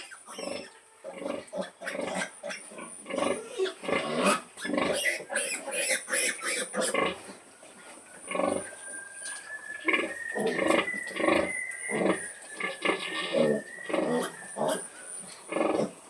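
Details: Sow calling her piglets at feeding time, giving dense repeated grunts and squeals of varied loudness, with a faint thin rising tone near the middle.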